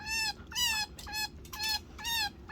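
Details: Chinchilla. A young chinchilla calls for its mother with a run of thin, bright squeaks, each slightly falling in pitch. The plaintive cries come in a steady rhythm, roughly two per second, over a quiet background.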